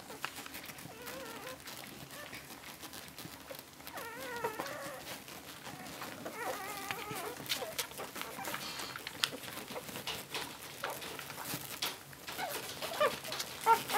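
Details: Cocker Spaniel puppies, 11 days old, Tindra's litter: quiet background at first, then bursts of wobbling, quavering whimpers in the middle, with bedding rustle and handling noise growing louder toward the end.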